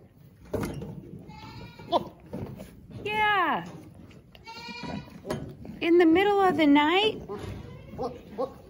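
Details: Penned Boer bucks at a mid Missouri meat goat farm, larger animals pushing around smaller ones: a falling bleat, then a strong, shaky drawn-out bleat near the end, over a woman chatting to the goats.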